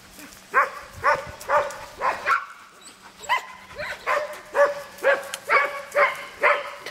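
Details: Red Standard Poodle female, just groomed and shaved down with a 15 blade, panting in rhythmic breathy pulses about twice a second, with a few faint voiced notes and a low steady hum in the background.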